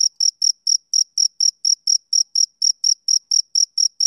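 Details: Male cricket chirping on a summer evening: a steady train of high, pure, ringing pulses, about four per second, evenly spaced with no other sounds.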